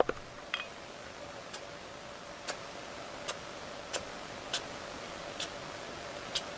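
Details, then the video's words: A sugar glider gives soft, brief sneezing or hissing puffs about a second apart. This is usually a normal part of its cleaning ritual, though it can sometimes signal a medical problem such as an infection. "Sugar gliders often make a soft sneezing or hissing sound that goes something like this."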